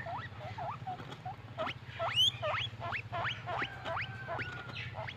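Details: Happy squeaking from a little furry pet guinea pig, short upward-sweeping wheeks in quick succession, a few flatter whistled notes, a constant low droning hum underneath.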